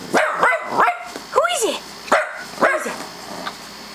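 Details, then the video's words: Mott, a pet dog who goes wild at any doorbell, barks in reaction to a doorbell sound played on a computer: a string of sharp, arching yelps and barks, about six in four seconds, while a person keeps asking who is there. "Barking at the doorbell"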